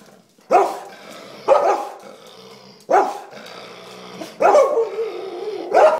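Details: English Springer Spaniel inside a house barking at a table sponge it sees as something very bad: five loud, abrupt barks spaced roughly one to one and a half seconds apart, with faint growly rumbles between.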